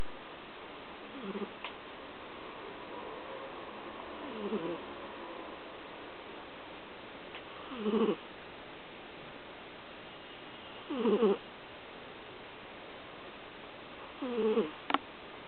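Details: Pet dog sleeping indoors, said to snore whenever it sleeps: soft, tonal, whistling snore notes with a slight wavering pitch, returning about every three seconds with quiet breathing between.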